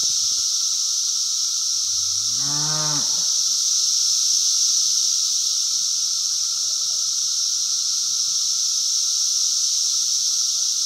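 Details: Cicadas on a farm in 2016, loud enough to drown out people's voices: a dense, unbroken high-pitched droning hiss. A cow moos once partway through.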